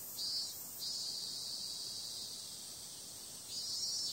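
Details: Cicadas at night in summer: an unbroken high, hissing hum, with a louder buzzing swell at the opening and another rising at the close.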